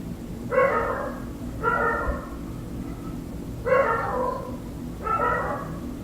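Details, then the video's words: Dogs barking at night, heard from inside a room through an open window: four loud, harmonic barks spaced about a second apart, each short and rough, over a constant low indoor hum. "Dogs Barking"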